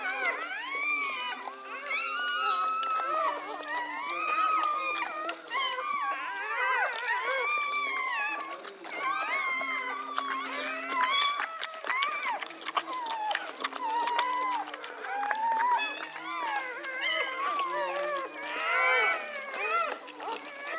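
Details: American Pit Bull Terrier litter being born in Egypt: many overlapping thin, wavering whines and squeaks from the newborn puppies, rising and bending in pitch, nearly continuous over twenty seconds, with some faint voices and a low background hum.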